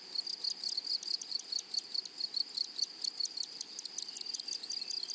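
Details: Grasshoppers in a flowery meadow or prairie: a high, steady shrill with short buzzy pulses layered on top, repeated a little over twice per second in an uneven rhythm. No other clear sounds.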